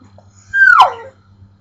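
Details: A pit bull, making odd noises at the household's pet bird, gives a single high, nasal whine that slides steeply downward.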